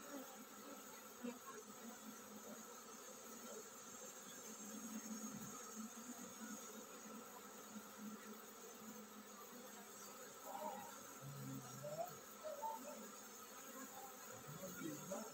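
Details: Honey bee colony getting ready to swarm: a steady low droning hum from many bees throughout, with several brief louder buzzes as individual bees pass close.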